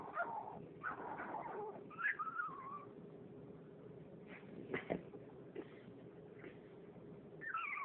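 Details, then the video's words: A female French bulldog wanting to play whimpers to get attention. Soft, wavering whines and nasal squeaks come in short bursts separated by pauses, over a quiet room hum. "Whimpering french bulldog making odd noises"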